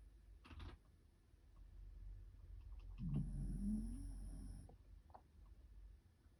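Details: White Shiba Inu, still sleepy, snoring: one low, rough, rattling snore lasting about a second and a half in the middle, with quiet room hiss and a few faint clicks around it.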